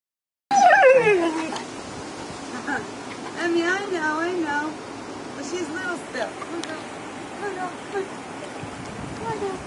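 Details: Siberian Husky Memphis howls from beside the big pool, wanting to get in with his baby sister Nikkita Blu during her first swim. A long howl slides downward, then wobbling lower tones follow over voices and water noise.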